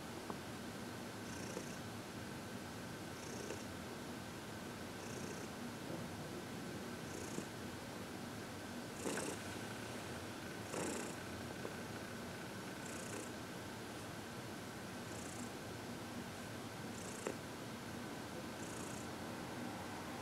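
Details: Senior cat Heidi, aged 14, adopted from the Humane Society of New York City, purring contentedly while receiving massage and reiki; steady low rumble throughout, with brief breathy hiss-like bursts at intervals of roughly two seconds.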